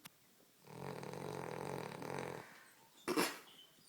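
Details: Dog asleep on a couch snoring: one long rough, rumbling snore of about two seconds with a low buzzy texture, followed by a short louder snort near the end in a small indoor room.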